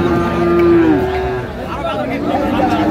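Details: Friesian and crossbred heifer calves at Raniganj cattle market, Dinajpur, 29 January 2025; one long steady moo lasting about a second, followed by a softer, lower moo, with market chatter in the background.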